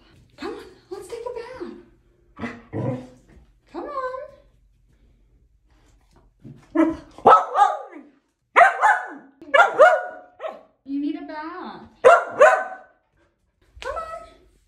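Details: Female pet Samoyed Aria back-talks indoors with a run of short barks and yelping, whine-like vocal bursts, some carrying clear harmonics, clustered irregularly over fourteen seconds while a person speaks nearby and music plays briefly.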